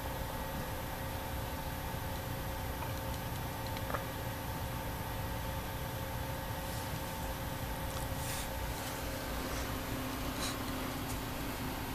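Steady mechanical hum and broadband noise with faint clicks, and no animal voice.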